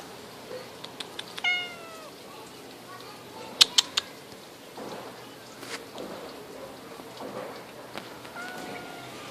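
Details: Cat on a tree branch, friendly until its paws were touched, which aggravated it; a single falling meow with clear harmonics near 1.5 seconds, then faint clicks, taps and scattered quiet sounds outdoors.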